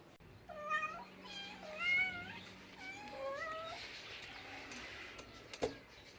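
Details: Cat giving a run of repeated meows, about five wavering, rising-and-falling calls in quick succession during the first four seconds, then quieter, with a faint clatter near the end.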